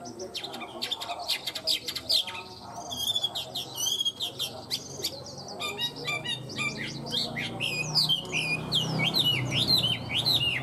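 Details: Tame caged Chinese hwamei singing well: a rich, varied stream of loud whistled phrases, rapid slurred notes and sharp upward and downward sweeps, with faint low background hum.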